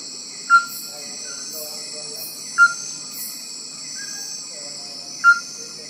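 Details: Male Bornean tree-hole frog calling in rainforest near Sepilok, Sabah: bright, ringing single notes that slide slightly in pitch, each followed by softer echoing tones, three within six seconds, under a steady high insect drone.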